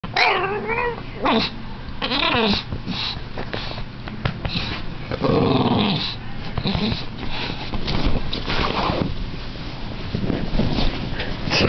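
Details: Frustrated bulldog indoors, wanting desperately to get onto the bed, crying with wavering whines and yelps mixed with snorting, wheezy breaths and grumbling growls, nearly continuous throughout.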